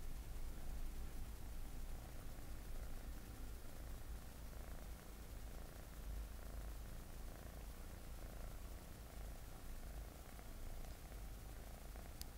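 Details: A Scottish Fold cat named Mugi purrs steadily, a low continuous rumble close to the microphone, during a pet-sitter's home visit in Shizuoka, Japan, September 2017.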